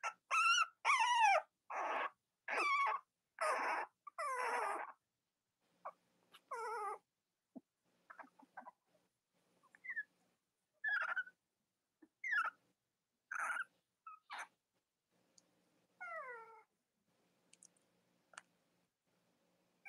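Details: Cavalier King Charles Spaniel puppies in a litter from mothers Robin and Myra, shown on a live-stream split screen. Loud run of quavering whines at first, then scattered short squeaks and falling whimpers spaced through near silence.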